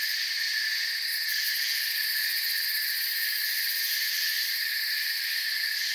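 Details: Forest crickets trilling together in a thick, steady wall of high sound, a brief brighter flutter of rapid chirps near the start, otherwise unchanging.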